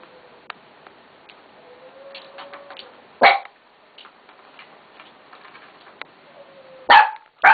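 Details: Red male Shiba Inu, born 13 March 2014, at a pet shop; faint soft whining tones and light clicks lead up to a sharp loud bark, then two more abrupt barks close together near the end.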